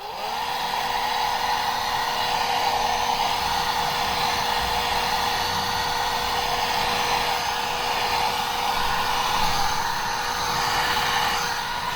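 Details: A steady, loud hum like a hair dryer or motor runs throughout, with no animal sound audible.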